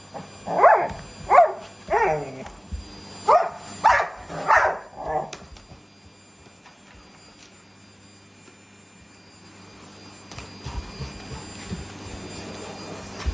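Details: Indoor vacuum-cleaner battle with a Shiba Inu present, a Labrador Retriever growing excited and beastly: six sharp, ringing barks in quick succession over five seconds, then near silence with low background rumble.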